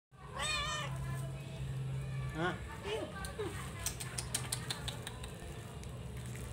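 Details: Abandoned, hungry, thin and neglected cat after rescue gives a few clear, stacked meows early on, rising then falling, with two more shorter meows near the middle; people talk nearby over a low steady hum.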